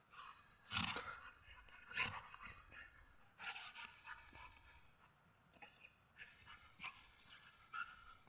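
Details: Pit bull puppy playing with an adult white husky and dominating the game; short, harsh yelping and growling bursts at irregular intervals, loudest near the start, with a man's voice in the background.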